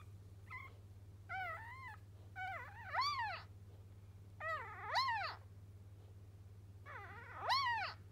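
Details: A dog's first puppy, newly born, calls out in a run of about five shrill, arching squeals that grow louder and longer, with short pauses between them and a constant low electrical hum.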